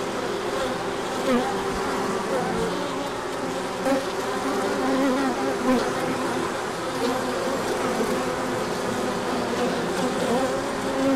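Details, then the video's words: A large orientation flight of bees in March sunshine after a cold spell; continuous loud swarm hum with wavering buzzes of passing insects layered over the steady drone, a few soft ticks. "Large Orientation Flight."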